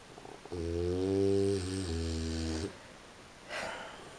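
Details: A sleeping French Bulldog snores at 3:45 in the morning with a long, low, buzzing rasp drawn out over two seconds, while its owner asks it to stop or turn over.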